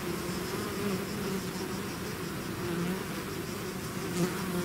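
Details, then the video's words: Honey bee swarm out of its hive, buzzing in a dense, steady drone with low hum bands and brief louder passes of single bees near the microphone. "bees therapy swarm natural buzzing sound"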